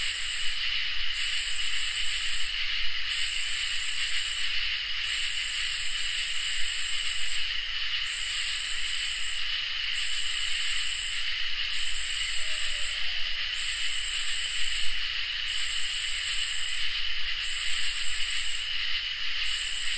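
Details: Ambient summer night chorus of crickets and katydids: a constant even trill continues throughout while a piercing, very high buzzing call repeats in regular pulses, roughly fourteen bursts across twenty seconds, with soft hiss beneath.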